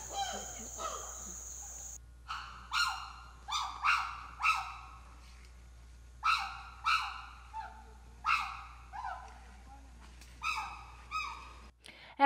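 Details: Habituated chimpanzees on an island in Africa give loud, harsh screaming hoots in rapid bursts, each call rising then dropping away.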